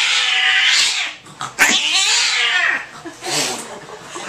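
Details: Angry cat confined in a carrier at the vet, making harsh hissing, spitting bursts mixed with strained, wavering cries, loud and noisy at close range indoors.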